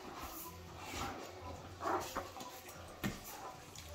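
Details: Great Danes, a male with a female friend, in rough play described as a catfight; a brief harsh whining yelp near two seconds, a later short thump, over a steady low hum indoors.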